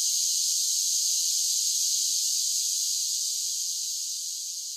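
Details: Cicadas singing on a summer day: a dense, unbroken high buzzing drone, steady throughout, slowly fading slightly toward the end, with no other sounds.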